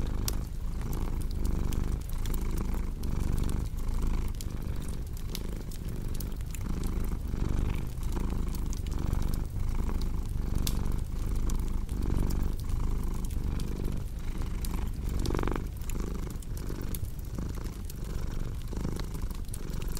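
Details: Strong, steady purr of a domestic cat, a low vibrating drone rising and falling with regular breaths near one per second, with a crackling fireplace popping lightly in the background.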